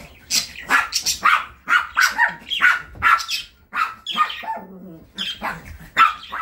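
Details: Chihuahua named London, a graduate of the Kastropulo Crimea kennel now living with a family in Saratov, barks in a rapid run of sharp, high yaps, about a dozen in six seconds, with a brief pause near the end.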